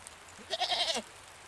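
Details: Goat uttering one clear, wavering bleat of about half a second, rising then falling slightly at the end, over a quiet background.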